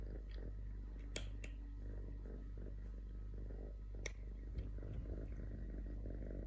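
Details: Totoshka, a male stray kitten, purrs indoors: a low, steady rumbling throb with a few sharp clicks and taps at about one and four seconds.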